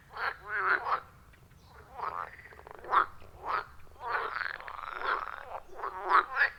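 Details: Loud, rhythmic frog chorus at a forest pond, iPhone 14 Pro with Shure MV88+: dense, overlapping gargling croaks and pulsed trills, several frogs calling at once with barely any pause.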